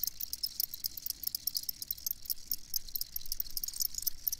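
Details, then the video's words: Many crickets chirp together, a busy stream of rapid, irregular high ticks, roughly four per second, above a soft low background noise. "Crickets Chirping"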